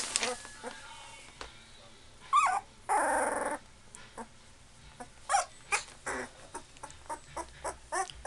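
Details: Labrador Retriever puppies, 2.5 weeks old, give a brief high wavering whimper, then a harsh broadband burst; the rest is soft clicking and rustling handling noise.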